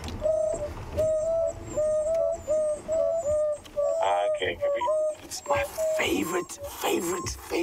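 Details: At sunrise on 11 February 2016 at Twin Dams, Sabi Sand, African wild dogs give soft, hollow "hoo" contact calls about once a second as they try to rejoin the pack.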